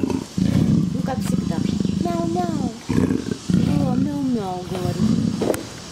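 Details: A female leopard, affectionate and in heat, purrs in a low, steady, pulsing rumble while having her back scratched and a woman talks softly to her.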